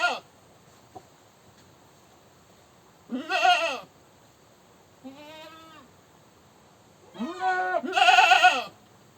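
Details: Goat screaming in repeated bursts: harsh, vibrating bleats, with a softer, thinner, wavering cry in between. The last two loud screams come almost back to back.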